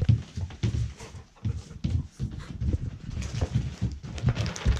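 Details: Hatch, an eight-year-old female Golden Retriever, pants in quick, steady, low breathy puffs, about two to three per second, with a faint hiss above each breath and no other clear sounds.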